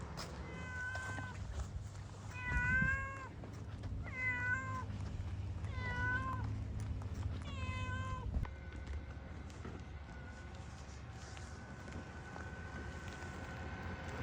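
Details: Domestic cat on Tashiro Island, Ishinomaki, Miyagi Prefecture, Japan, meowing persistently as if calling its owner: five clear, arched, rising-then-falling meows roughly every one and a half to two seconds over eight seconds, followed by a steady low hum.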